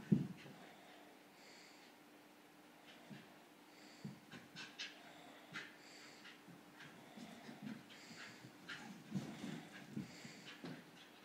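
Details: English Bull Terrier, kept alongside a pit bull; a loud snort opens, followed by irregular short sniffs and huffing breaths scattered throughout, quiet between bursts, with a low constant hum beneath.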